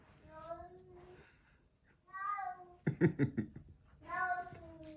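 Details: Bengal cat producing three separate meows, each a falling, plaintive cry about a second long, with a burst of human speech between the second and third.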